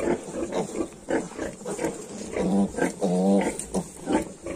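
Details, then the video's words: Young Yorkshire piglets at 22 days old give low soft grunts broken by a couple of drawn-out tonal squeals near the middle; a few animals close by, with a steady hiss behind. "Yorkshire piglets 22 days"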